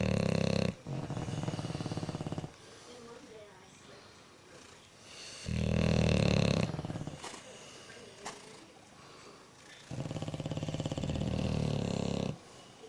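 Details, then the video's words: Sleeping bulldogs, two of them snoring as a third looks them over: loud buzzing snore bursts of one to two seconds, made of fast regular pulses, come roughly every four to five seconds with quiet breathing gaps between. "Snoring Bulldogs"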